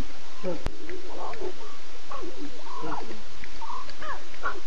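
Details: At night, 02:50 a.m. on September 8, Nkuhuma lions, six cubs and three adult females, vocalise as the cubs talk and the adults contact call; rapid bending, harmonic mews and squeaky calls follow one another closely against low rumbling noise.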